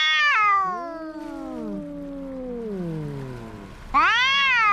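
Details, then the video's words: Two domestic cats fighting: a long low moaning growl-wail slowly descending, overlapping a second voice, then an abrupt loud rising yowl at the end. "Som de gatos brigando"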